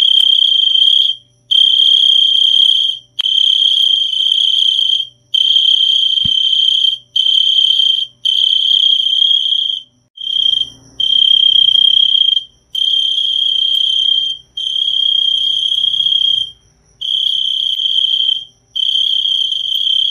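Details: A cricket trills steadily, a bright high-pitched buzzing chirp in bursts of one to two seconds with brief silent gaps and a few longer pauses. There is almost no other sound.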